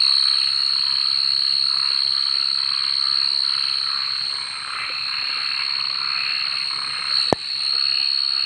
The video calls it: MP3 suara kodok dimalam hari pengantar tidur